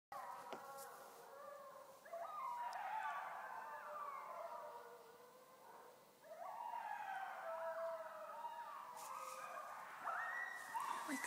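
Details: Coyote pack in a backyard in Easthampton, Massachusetts, at 2:45 am on October 10, 2011: overlapping yips, wavering howls and high yelps from several animals, rising in bursts, faint and somewhat distant.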